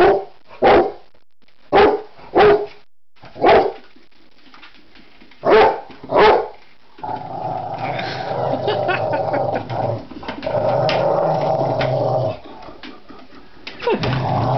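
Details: Rottweiler indoors, upset by an office chair it cannot stand: six short, sharp barks spaced unevenly over the first six seconds, then a long stretch of harsh, continuous growling and barking.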